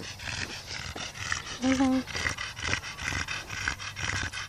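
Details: A male Staffordshire Bull Terrier, described as a very happy dog, gives a brief, high, tonal whine amid a clatter of noisy background sounds.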